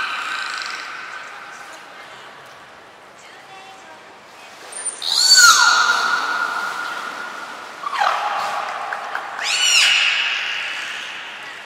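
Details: Belugas Nana, Mirai and Niko during a training session at Port of Nagoya Public Aquarium, 11 January 2021: a long steady harmonic tone that later swoops up and down, then rising chirpy sweeps, over a soft background hiss.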